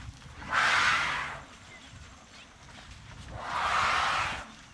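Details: Elephant trumpeting, trumpeted when excited: two loud, brassy blasts about three seconds apart, each lasting roughly a second, over a steady low rumbling background.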